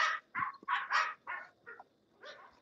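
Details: English Bulldogs at the Old Red English Bulldogs Kennel barking in a quick burst of about six gruff, broadband barks, closely spaced and then trailing off, followed after a pause by one softer bark.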